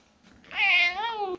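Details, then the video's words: Domestic cat meowing to ask for food: a single drawn-out, clear harmonic meow lasting about a second, rising slightly then falling at the end, in a quiet indoor setting. "칡이 밥달라고 의사표현하는 놀라운 방법"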